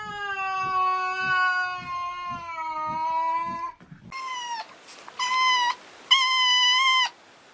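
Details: Domestic cat heard in two parts: first a long, steady, low-pitched drawn-out meow with faint soft thumps beneath it, then after a brief gap three loud, flat, nasal meows in quick succession.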